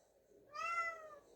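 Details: Podo, a rescued former street cat, meows to be let into a room while laundry is being folded: a single clear meow under one second, rising slightly then falling, with a quiet indoor background.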